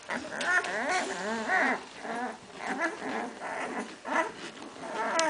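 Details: A litter of Hungarian Vizsla puppies, born 8 May 2012 and recorded 21 May 2012, whining continuously. Their thin, quavering, bending whimpers are layered over one another, with a few sharper yelps.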